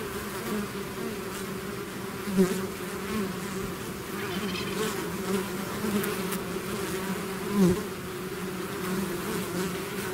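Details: A swarm of bees pouring out of its hive, a dense steady drone with strong bands near 200 and 400, faint higher whine above, and brief louder swells as individual bees pass close.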